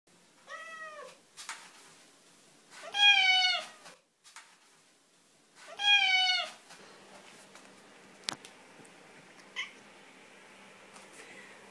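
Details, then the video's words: Siamese cats talking indoors: three drawn-out, strongly harmonic meows, the first softer, the next two loud and wavering, spaced about three seconds apart, followed by a few faint clicks and knocks in a quiet room. "Talking Siamese Cats language Meow"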